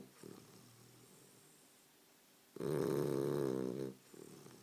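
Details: Sleeping bulldog snoring: one long, loud, raspy snore of over a second in the middle, with softer snuffling breaths before and after it in a quiet room.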